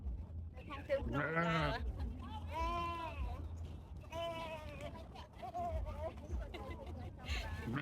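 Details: Sheep chased outdoors bleat repeatedly, a series of quavering harmonic calls about every one to two seconds, with heavy low rumble and voices behind.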